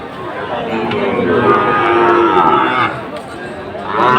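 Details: Sahiwal bull calves for sale at a livestock market in Comilla, Bangladesh, August 2024; a long, level lowing call, with men talking and market noise throughout.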